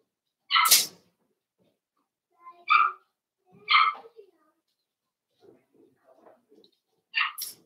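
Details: Four-week-old Cavalier King Charles Spaniel puppies from Daisy's litter in their indoor puppy pen, filmed on a livestream puppy cam; short high squeaky yelps come in four separate bursts spaced one to three seconds apart, with faint rustling between.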